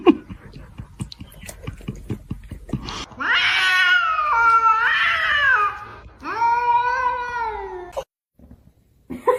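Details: Cat letting out two long, wavering yowls, the first about three seconds and the second about two, after a run of soft tapping sounds, in a small indoor room.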